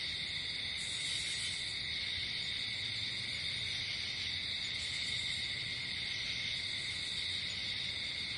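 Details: Crickets at night outdoors produce an unbroken high-pitched chirring drone, steady in two bright bands, with a short extra burst of higher buzzing near the start and faint low background noise.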